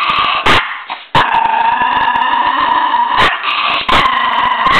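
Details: A miniature pinscher growling ferociously: a sustained, gritty, level rumble with harmonic bands, cut by a few loud sharp cracks and one short break early on.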